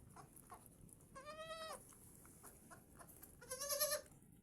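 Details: Goat bleating twice, each a wavering, nasal, strongly harmonic cry of under a second, about two seconds apart, over a soft background hiss.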